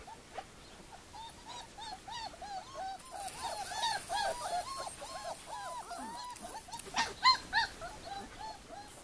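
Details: Litter of four-week-old puppies at Le Domaine des Pertins, many voices whining at once: a dense chorus of short, arching squeaky whimpers, rising then falling, tumbling over each other almost continuously for nine seconds.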